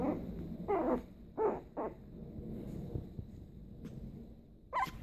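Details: Small Maltipom, a Maltese Pomeranian mix, growling during play: a few brief gruff growl bursts early on, then a quieter stretch with soft shuffling, ending in one sharp higher yip.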